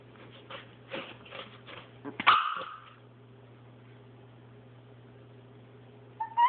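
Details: Chihuahua playing with a paper towel roll: a few short, soft grumbling bursts, then a sharp high-pitched yelp that trails into a falling whine, with a steady low electrical hum throughout.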